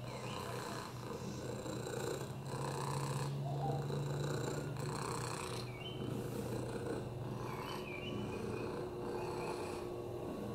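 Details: Oliver, a rescued lap cat living with FIV, a broken hip and upper respiratory infections, gives a loud unbroken purr, a throaty low rumble rising and falling with each breath, with faint raspy whistles on some breaths.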